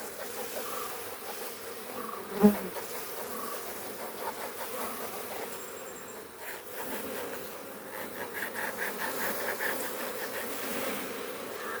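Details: Honey bees buzzing at a Kerala farm during honey extraction, where bees are kept (theneecha krishi); a steady low hum runs throughout, with a sharp knock near the start and faint human voices.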